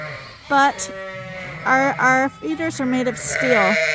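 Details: Suffolk lambs in a barn at Ewetopia Farms, mixed into one big group after a gate was left open; several short harmonic bleats, some wavering, rise one after another with brief gaps, over a low steady hum.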